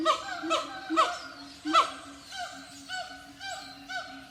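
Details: Siamang monkeys whooping and singing: loud, ringing harmonic whoops repeated about every half second, the first four strong and swooping, then a softer run of shorter, evenly spaced notes with overlapping voices.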